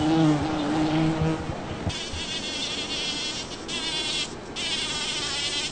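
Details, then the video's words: Bumblebee working a Champlain rose in a Toronto, Ontario back yard on June 5, 2010; a low, steady harmonic drone for almost two seconds, then thinner, higher whining buzzes from other insects around the blooming bush. "Loud Buzzing Bumblebee Works a Champlain Rose"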